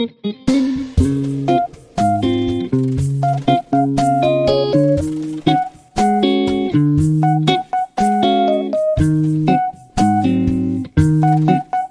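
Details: Loud guitar and bass music fills the recording with repeated plucked chords and short breaks between phrases, and nothing else is heard.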